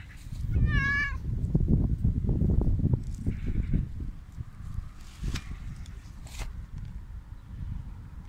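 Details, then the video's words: Hungry homeless mother cat with her kitten, being fed: one short, high, wavering meow near the start, then loud crunching and chewing noises from eating, with a faint softer cry later. "Poor hungry mother cat and her adorable little baby"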